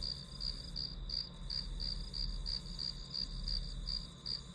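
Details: Grass insect sounds serving as white noise for studying: an even train of high, bright chirps, roughly three per second, over a soft low rumble, with no other clear sounds.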